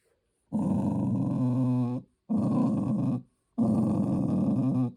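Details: Indoors, a pet Tibetan terrier gives three long, low groaning growls with a throaty, steady tone, each lasting one to one and a half seconds with brief gaps between.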